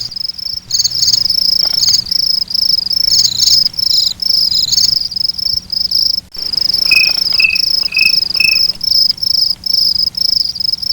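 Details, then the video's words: Crickets calling at night, a steady high-pitched pulsed trilling broken by brief silences, with a second caller adding short lower chirps in a spaced series partway through. "Suara Jangkrik"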